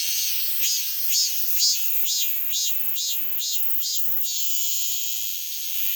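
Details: Continuous high cicada buzz carrying a run of about nine rhythmic pulses, close to two per second, before easing back into a smooth drone.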